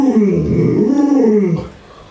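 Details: Luoluo, a pet Alaskan Malamute, vocalizing while grandma feeds it meat and bones. It makes a rough, grumbling, wavering howl. The sound rises and falls in pitch for about a second and a half, then drops away.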